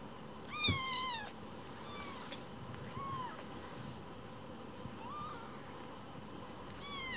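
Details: Young foster kittens, rescued cats, vying for their keeper's attention and quarrelling at home; a run of high, arched meows, several close together at the start, then single meows spaced every second or two, with faint rustling beneath.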